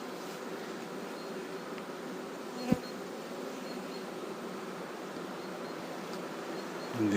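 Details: Large honey bee swarm being moved in a cold, rainy spring, giving a steady low droning buzz throughout, with one sharp knock midway and faint rustling.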